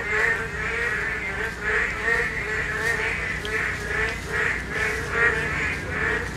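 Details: Korean narrow-mouthed toads during spawning, heard more distantly. A blended chorus of nasal, buzzy croaks throbs steadily over a faint background hiss.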